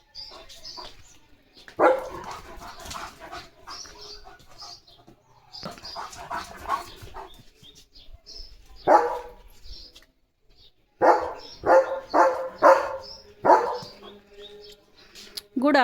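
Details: German Shepherd in front of a house reacting to a tractor passing by, after a rainy night and morning; bursts of repeated loud barks in clusters, separated by short quieter gaps, a woman's voice nearby.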